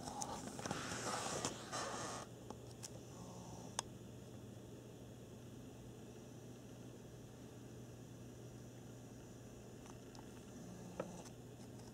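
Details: Quiet indoor room tone with a steady low hum, a burst of rustling near the start and a few faint clicks, with no animal voice heard.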